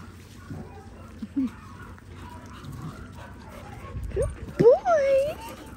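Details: Linc, a baby Australian cattle dog, plays with bigger puppies in a paddock: a few soft low grunts, then a sharp rising yelp and a drawn-out, wavering high whine toward the end, over quiet background noise.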